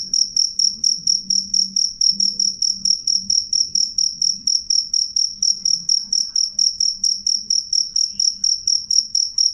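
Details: Loud, clear cricket song of steady shrill high-pitched chirps, about two per second, running without a break over a faint low murmur.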